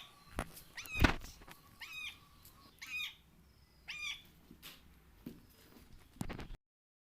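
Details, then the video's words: Cat meows meant to make a cat come: a series of short, arched, harmonic mews repeated about once a second, with thumps and clicks in the background. "Sounds To Make Your Cat Come To You/cat sound"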